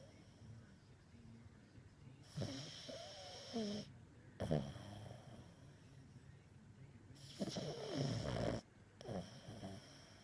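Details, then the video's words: Max the pug snores and dreams, giving three separate rasping, snorting breath bursts spread over ten seconds, with quiet pauses between them. "Max the Snoring pug"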